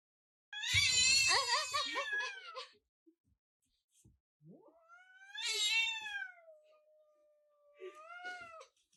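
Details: A grumpy pet cat indoors lets out loud, wavering, strained yowls. A harsh drawn-out howl is followed by a long, level, moaning wail that drops near the end, then a shorter grumbling yowl, with quiet pauses between.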